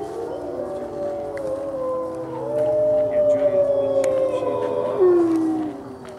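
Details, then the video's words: Gray wolves at a Colorado wildlife center howl during a November 2013 full moon feeding; overlapping smooth tones swell and hold, one voice rising then falling sharply near the end, with faint clicks. "Wolf Howls! (Full Moon)"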